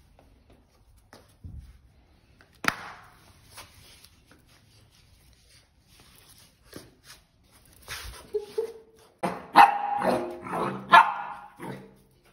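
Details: Pit Bull puppy playing with a slipper; quiet start with scattered thumps, then a burst of sharp, excited barks and yelps from about nine seconds onward, roughly three quick barks a second before falling quiet.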